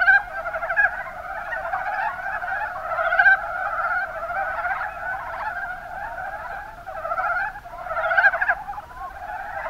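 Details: Mountain brown frogs calling in the Kuma Basin, Kumamoto, Japan: a dense, continuous chorus of overlapping low clucking croaks in rapid pulsed series, several callers at once, swelling and easing without pause.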